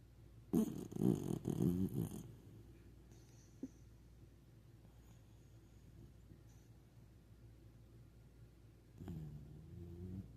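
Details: A sleeping puppy snoring indoors, a burst of low, rough, rattling breaths at the start, then quiet room noise before another soft snore near the end.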